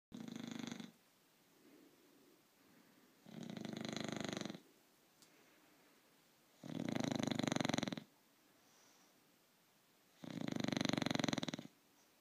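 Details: English bulldog named Frog sleeping and snoring: four rough, droning snores, each about a second long, coming roughly every three seconds with soft breathing between them in a quiet room.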